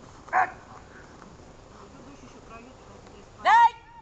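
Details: Archik the dog during a training session on 1 July 2018 gives two short, loud barks about three seconds apart, the second longer and falling in pitch, with quiet background murmur between them.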